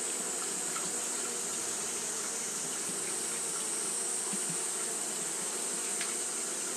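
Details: Continuous wing-fanning by Japanese honey bees on a hot day: a dense, level hum with a few brief softer flickers, over a steady high sizzling band.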